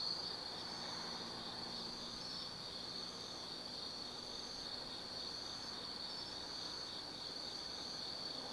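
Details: Autumn night insect chorus at Tsukimi no Mori, Kaizu, Gifu, Japan, near National Route 258 below the Nobi Plain lookout; a continuous high ringing trill over a low distant traffic rumble.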